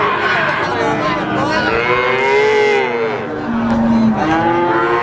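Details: Simmental, Limousin and Pegon calves, three months of age, offered for sale, several curved moos overlapping, one flat steady bellow in the middle, amid continuous market-like background noise.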